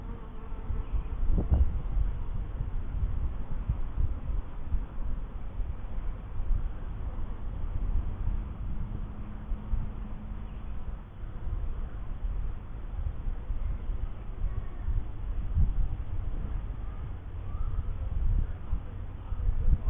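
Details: Honey bees at a first hive: a low, droning buzz fills the clip, with a steadier humming tone passing through around the middle, over a constant low rumble.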